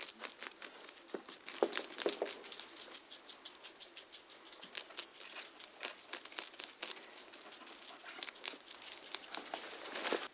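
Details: A herd of pet guinea pigs feasting on carrots and yellow pepper during floor time in their indoor run: dense, crisp crunching and rapid irregular munching clicks throughout, with no calls.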